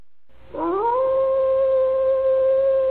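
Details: A gray wolf howls, sliding quickly up into a long, steady, mournful note, around Omolio.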